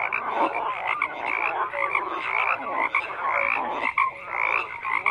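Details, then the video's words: Many frogs croaking at once in an unbroken chorus, raspy pulsed calls mixed with brief whistle-like notes, the overall level swelling and dipping every second or so. "FROGS CROAKING"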